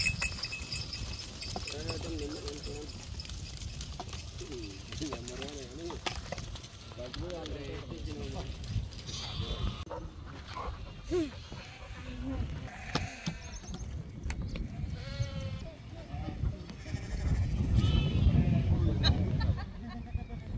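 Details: Big Nellore Jodipi sheep and rams on a farm in Pebbair: a run of wavering, quavering bleats in the first half, later fainter ones, mixed with people talking and rustling noise.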